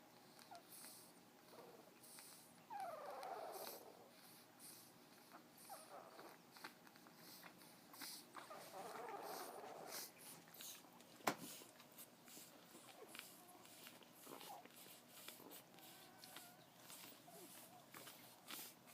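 A sleeping Frenchton puppy makes soft whimpers and squeaky, wavering noises at a low volume.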